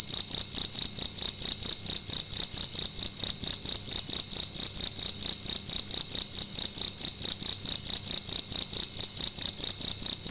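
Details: Shrill cricket song indoors during the night: one loud insect repeating a high metallic chirp about twice each second for the whole stretch, with no other sounds.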